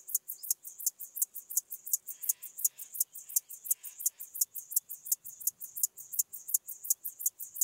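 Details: Chorthippus apricarius singing in Moosham, Austria, 9 October 2020, heard via a Pettersson D 100 ultrasound detector: a fast, regular train of high scratchy pulses, roughly three each second, unbroken throughout, with only faint low background murmur.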